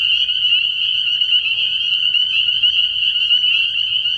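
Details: Spring peepers in full chorus at a night-time frog pond early in the year: continuous shrill high peeps overlapping densely, with a soft low hum underneath.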